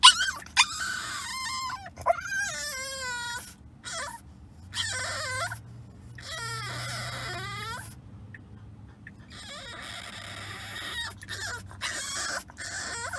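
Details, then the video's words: French Bulldog puppy whining during a car ride it did not enjoy. Repeated high, wavering whimpers and yelps come in uneven bursts, some sliding down in pitch, over a low steady engine hum. "French Bulldog Puppy Whines During Car Ride"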